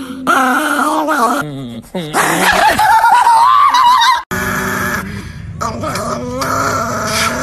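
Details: Angry Chihuahua snarling in sustained, wavering harmonic growls that climb into shrill yaps, with a brief break midway before the grumbling resumes; some human voice in the background.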